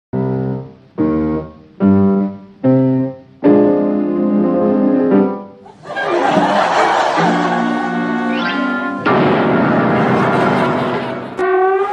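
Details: Piano and keyboard music plays throughout, with short separated chords in the first half, then sustained fuller passages; no animal voice stands out.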